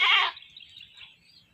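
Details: Caught goat later slaughtered, giving a single brief, strained bleat that cuts off quickly, followed by quiet background hiss.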